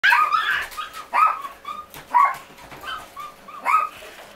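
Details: Maltese puppy giving a series of high, short yapping barks and whimpery yelps, bursts roughly every second with quieter squeaky calls between.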